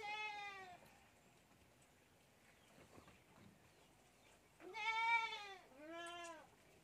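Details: Goat kid drinking milk from a bottle, letting out three clear bleats: one at the start, then two close together near the end, each a rich, arched, harmonic cry over quiet background.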